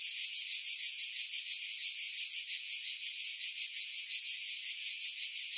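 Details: July 2018 cicadas in pines roughly 50 m above the sea at Pefkos Bay, Skiros, Greece: a loud, high, rasping drone that swells and fades in regular beats, close to three each second, recorded on a Sony RX3.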